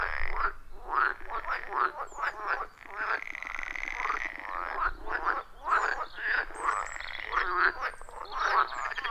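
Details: Forest pond frog chorus recorded in the wild with a phone and add-on microphone: dense, rhythmic short croaks from many frogs, nearly continuous, over a sustained rattling trill in the middle.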